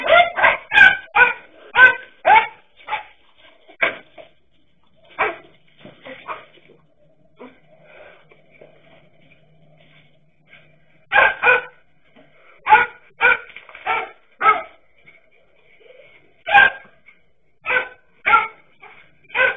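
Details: Barking dachshunds facing a king cobra: rapid volleys of sharp, yappy barks, a pause with only faint scuffling in the middle, then another run of regular barks roughly every half second to the end.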